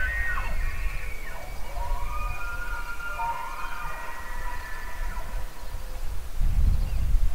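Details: An elk bugle made of several layered high whistled tones that waver and slide downward across several seconds, then fade; low wind rumble throughout, growing louder at the close.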